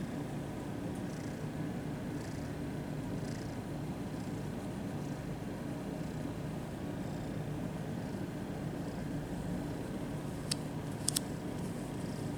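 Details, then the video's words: Kitten at a cat cafe purring while being petted and given attention; a steady low rumbling drone runs throughout, with a few faint clicks and taps near the end. "Overload of purring kittens"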